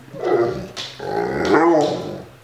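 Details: Six-year-old male pit bull mix at home, playing with a deer antler chew: a short, rough growling vocalisation rising and falling over about two seconds, with a person talking nearby.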